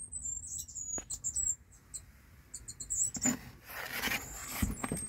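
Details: A Mongolian gerbil (Meriones unguiculatus), recorded in 2024, gives thin, very high squeaks among soft scratching and rustling sounds.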